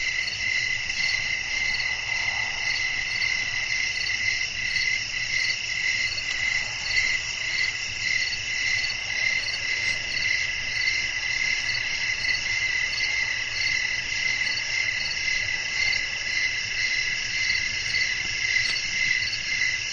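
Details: Crickets chirping at night under a soft wind: a steady, high, ringing chorus of stacked tones that pulses almost twice a second for the full stretch, with a faint low rumble of breeze underneath.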